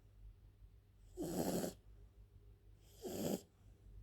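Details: French bulldog Elsa asleep, making two harsh, grating snores nearly two seconds apart against near silence.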